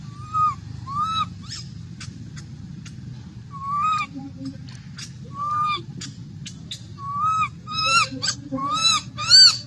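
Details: Little monkey crying and making noise while wanting milk: repeated tonal, slightly rising-falling whimpers with bright harmonics, coming in short bursts about every second, with clicks and a steady low rumble behind.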